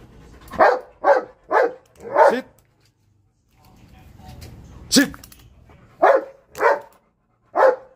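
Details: Belgian Malinois barking at a cat, a run of loud, sharp single barks spaced roughly half a second to a second apart, with a brief pause midway; a person gives short spoken commands around it.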